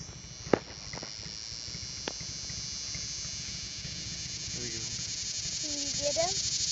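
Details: A large cicada on a stop-sign pole, heard about two feet away on a summer day, gives a steady, high, ear-piercing hissing buzz that runs unbroken, with people talking softly nearby.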